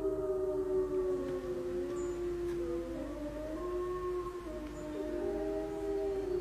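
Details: Several gray wolves at Bays Mountain howl together in long, drawn-out tones that overlap and slide at different pitches, weaving a rich, wavering harmony.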